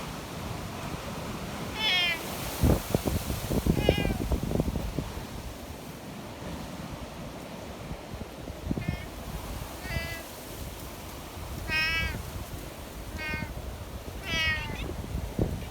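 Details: Affectionate community cats checked on in the mountains while a storm wind blows; a run of about seven meows, some quavering and rising, come every second or two above gusting wind and rustling.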